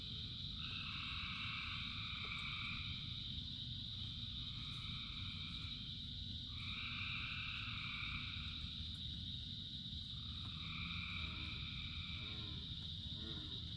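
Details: Many frogs singing in rain, with a constant high trill plus mid-pitched calls that swell in for a few seconds and fade, repeating; a low rain roar runs throughout and faint rapid clicking appears near the end.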